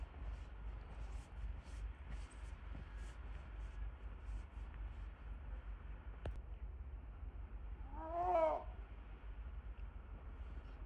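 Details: Snow leopard Sizim at Maruyama Zoo, whose calls sound like a cat's: a single short, harmonic, arching meow near the end, after quiet low rumbling background noise and faint ticking.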